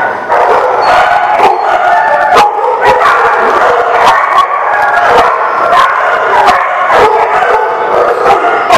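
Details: Dogs at a lot, recorded 3/29/19; a loud overlapping chorus of barks, yips and howl-like tones, with sharp bark onsets about every half second over a constant tonal din.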